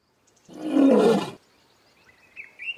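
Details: Lion in the African bush giving one loud, rough roar of under a second. Faint chirping birds follow.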